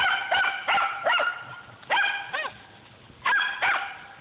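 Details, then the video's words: Hunting dogs after squirrels at Millen bay in rapid, ringing barks with arching pitch, several in quick runs, then short pauses and more eager bark pairs. "Squirrel hunting dogs millen"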